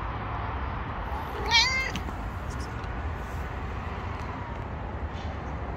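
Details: Stray mother cat on the street, three of her four kittens missing, gives one short, clear meow, rising then falling, over a steady low outdoor rumble, otherwise quiet.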